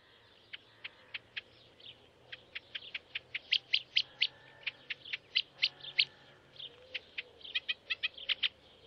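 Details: A stoat family at Leighton Moss in early morning in June 2009 gives sharp, high squeaks and chirps in quick, irregular bursts, some clustered into rapid runs.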